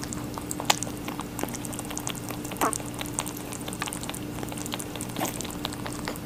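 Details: Watermelon being eaten by a rabbit: soft, moist, irregular crunches and small crackling bites spread through the recording, over a low electrical hum.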